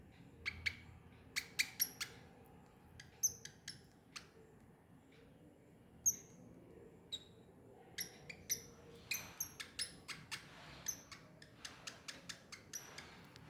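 A young squirrel gives sharp, high squeaks and clicks in irregular bursts.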